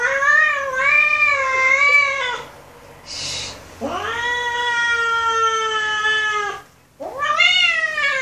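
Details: An angry kitten gives loud, drawn-out, wavering meows that rise and fall in a wailing tone.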